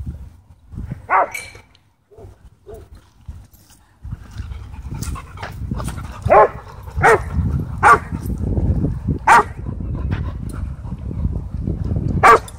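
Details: Husky playing with other dogs at a dog park, trading sharp barks and yips: one early bark, a few quiet ones, then a run of loud barks about every second over a steady low outdoor rumble.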